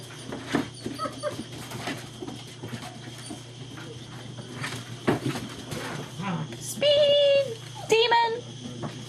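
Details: German Shepherd puppies romping together indoors, recorded 5 February 2012: scuffling and soft whimpers build to two clear, drawn-out tonal whines near the end, with a person talking to the litter throughout.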